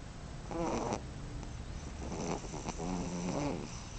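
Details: A pet dog snoring indoors; wheezy, rasping breaths carry thin whistling tones, one snore from half a second to one second, then a longer run of rattling snores between two and three and a half seconds.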